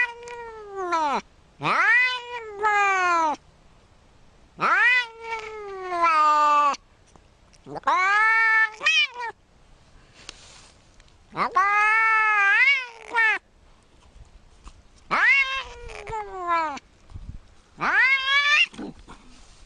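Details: Cat meowing insistently in six bursts roughly every three seconds, each burst made of swooping, wavering cries that dip and rise in pitch, with quiet gaps between.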